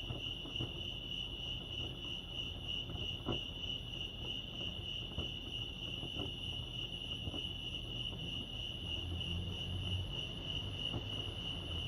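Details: Crickets chirping at Lake Arrowhead, California: a steady high-pitched pulsing trill runs unbroken throughout, with faint low rumble and occasional soft clicks underneath.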